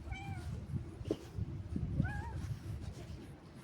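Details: Cat on a stroll outdoors, two meows: a falling one at the start and a rising, questioning one about two seconds in, amid low rumble and scuffing footsteps.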